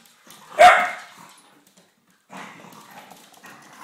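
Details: English Springer Spaniels, a father, mother and puppy, play fighting. One sharp loud bark rings out, then a pause of silence, then low growling and scuffling sounds carry on quietly to the end.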